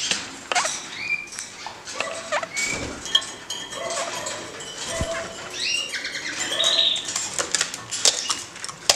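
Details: Kakariki pair kept in a cage, jumping about and exploring: scattered brief whistled chirps and a few steady mid-pitched notes amid constant rustling and soft clatter of movement.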